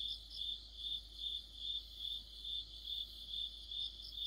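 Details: Crickets and other insects singing in an autumn night chorus: bright, high chirps pulsing steadily about two to three times a second, with a fainter overlapping buzz above and no other clear sounds.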